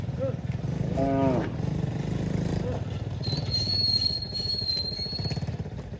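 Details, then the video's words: Cow running back to the barn gives one short, harmonic moo with a falling tail near the start, over a steady low engine rumble, followed later by a thin high-pitched whine. "COW FUNNY MOOING SOUND - Cute Cow running back to the barn"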